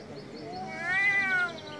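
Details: A male domestic cat on a street in Istanbul lets out a loud, wailing meow, rich in harmonics, that swells in pitch and then slides down, with faint street noise in the background.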